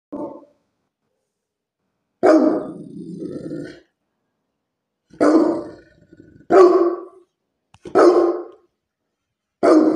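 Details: Great Pyrenees dog barking loudly: deep, gruff barks given singly or in pairs every one to two seconds, one followed by a low growling rumble, with silence between.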